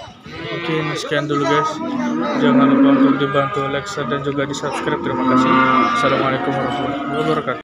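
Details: Cattle, calves and young bulls at a market, lowing in long, drawn-out moos that overlap and swell, some deep and steady, others rising slightly, amid frequent sharp knocks, clatter and busy background noise.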